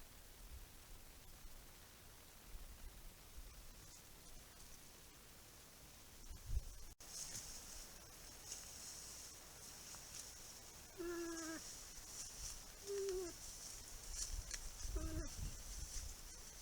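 A bull moose gives a few short, nasal grunts over a steady high insect hiss.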